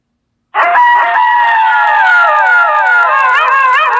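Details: Wolves howling in chorus, one of the world's ten scariest howls: several steady, drawn-out voices overlap, some holding level while others bend and waver upward near the end.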